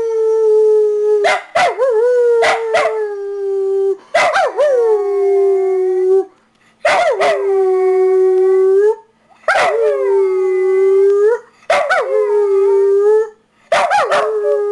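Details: Pet dog howling repeatedly: each sustained, slightly falling howl of about two seconds starts with a quick yip, with short silent gaps between, six rounds in total, no other sounds.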